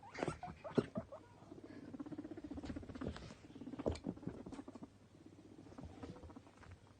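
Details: Two pet male guinea pigs, happy and playful, popcorning and eating; sharp squeaky bursts at the start, then a fast patter of soft rhythmic squeaks with scattered louder squeals and rustling.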